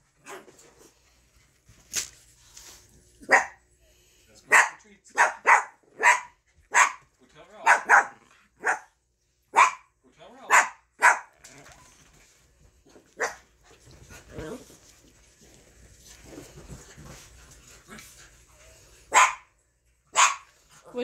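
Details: Miniature dachshund indoors after bath time, begging and crying for its nightly treats: sharp barks in uneven bursts, some close together, others seconds apart, with a man speaking and coaxing between them.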